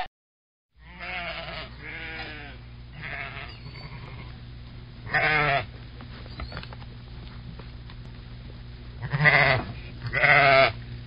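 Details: Sheep bleating repeatedly against a steady low hum: several quavering bleats of varying loudness, with the loudest coming near the middle and two strong ones close together at the end.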